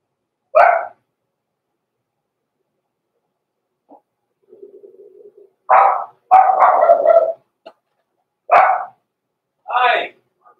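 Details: Blenheim Cavalier King Charles Spaniel puppies, born November 14, 2022, in an indoor puppy pen at Christmas time: loud, short, sharp barks in separate bursts, a longer rough run of yaps in the middle, and a faint low buzz between them.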